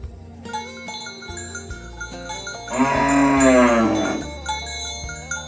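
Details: Herded cow calling its companions to the pen on the way to the livestock barn; a single loud, drawn-out moo rises midway over steady ringing tones like cowbells that run throughout.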